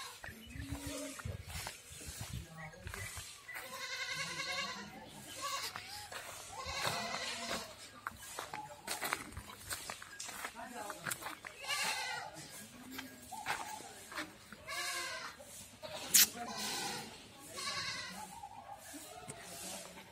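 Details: Goats kept on a farm in Ajmer, Rajasthan, India, bleating repeatedly with tremulous, nasal calls scattered throughout, several voices overlapping, amid clatter, rustling and occasional human speech.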